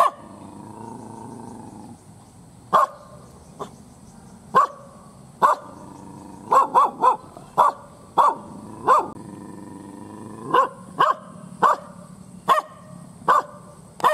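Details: Fierce kampung dog barks angrily, a low growly murmur opening before sharp single barks start, then tight doubles and regular barks roughly every second to the end, a faint steady whine in the background.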